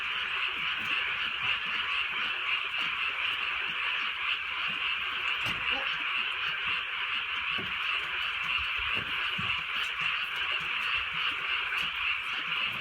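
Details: Night frog chorus in the rainy countryside: many overlapping rapid croaks in a steady pulsing wash, with occasional louder raindrop taps and drips standing out.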